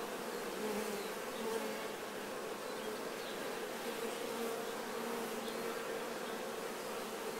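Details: Honey bees cleaning nectar off themselves during honey harvesting make a steady, dense buzzing hum that holds even throughout, with faint higher whining tones drifting in and out of the drone.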